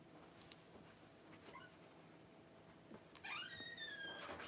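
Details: Cavalier King Charles Spaniel puppy just born as mother Paris whelps her first litter indoors: after faint rustling, a sudden rising, then drawn-out high whine with bright harmonics near the end.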